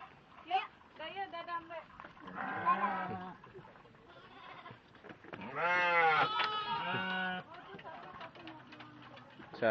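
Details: Sheep kept in a farm pen bleat while being counted aloud. Short bleats come early, then a loud, long, wavering bleat midway, over people talking and counting nearby.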